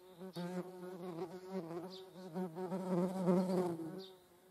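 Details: Flying median wasp recorded among honeybees; a steady, low, humming buzz wavers slightly in pitch and loudness throughout, with a rich stack of overtones.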